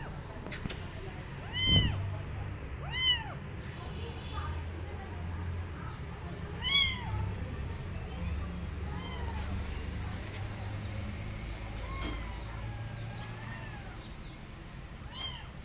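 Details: Abandoned kitten calling to an uninterested adult female cat it wants to adopt it; short high arched meows spaced irregularly, some faint and distant, over steady low rumble with occasional knocks.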